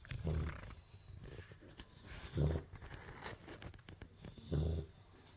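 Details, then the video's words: A sleeping Labrador Retriever puppy snores in low, rough breaths, one about every two seconds, three snores in all, with a faint hiss of room noise between them. "puppy snoring"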